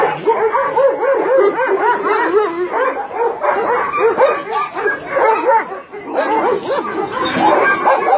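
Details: Dogs held at a combined dog-meat farm and puppy mill in Nonsan, South Korea, in January 2017, barking in a crowded chorus; rapid, rising and falling yelping barks, about four per second, overlapping constantly.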